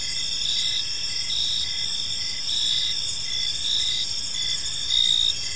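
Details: Gentle chirping of crickets in a serene evening park, a dense high trill chorus with rhythmic swells, slightly louder near the end, over quiet low ambient noise.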